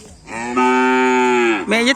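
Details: Cattle at a kerapan sapi bull-racing event on the Asemanis field: one strong, steady, rich-toned moo lasting over a second, ending with a short upward-sliding bellow.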